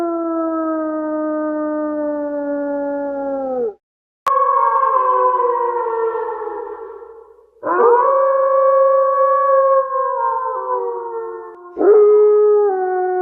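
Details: Wolves howling: long sustained mournful tones, each lasting three to four seconds, holding steady and then sagging slightly in pitch, with several voices overlapping and brief gaps between howls.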